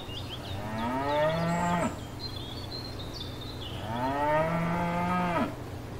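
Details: Cows grazing in a paddock field: two long, deep, drawn-out moos of nearly two seconds each, separated by a short quiet gap, with light bird chirps and whistles behind.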